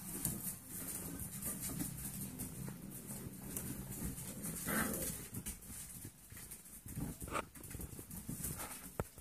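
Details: Six-week-old foster Golden Retriever puppies playing give short yips and low growls over steady rumbling and scuffling.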